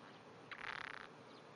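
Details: Japanese wrinkled frog calling from under grass at 5:30 am on 16 June 2009, a trembling, faint-vibration voice: one half-second rapid pulsed trill, throaty and rattling, over a quiet hiss.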